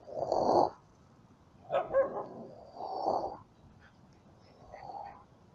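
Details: Puppies of a yard dog, approached on the road during a trip: four drawn-out, hoarse growling barks spaced about a second apart, the first loudest, over a quiet background.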